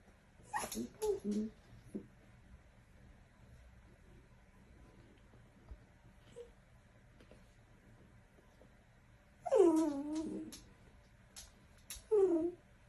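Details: Playful miniature dachshund indoors giving short high whines in brief bursts, with long quiet gaps between them, a quick whine near the start and two more near the end.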